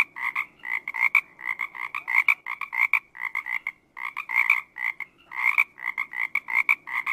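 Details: A frog croaks steadily in quick clusters of short, reedy notes, repeated again and again with tiny gaps and a fairly even pulsing rhythm.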